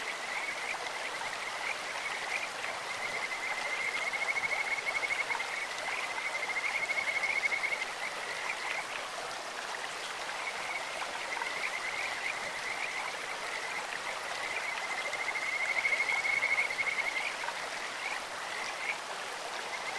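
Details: In a clear stream, Kajika frogs give long runs of high, steady, finely pulsed whistles lasting several seconds, pausing, then trilling again, against continuous flowing-water noise.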